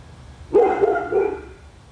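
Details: Household dog barking outdoors in Royse City, Texas, where it barks for hours daily: one loud bark that breaks into two further clipped, ringing yaps within about a second.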